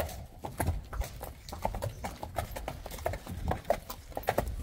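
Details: Young Friesian horses, colts and fillies, walking out to pasture for the first time with handlers; steady clip-clop of hooves throughout, several animals' steps overlapping, with faint voices underneath.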